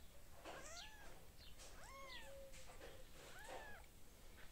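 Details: Cat family of a mother with lots of little kittens; three clear arching meows near half a second, two seconds and three and a half seconds, each rising then falling, with fainter high squeaky mews between and low background hum.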